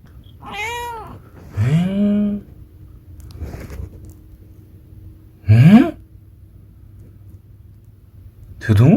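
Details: Munchkin cat meowing indoors: four separate meows with arched, harmonic-rich tones, a few rising sharply, spaced irregularly over several seconds between stretches of quiet room sound.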